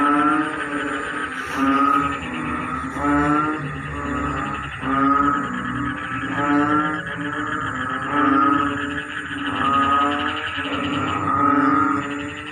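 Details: Frogs calling in a rice field as the rainy season begins, a choir-like chorus: deep, harmonic, rapidly pulsed croaking bursts repeating roughly every one and a half seconds over a constant droning background of other callers.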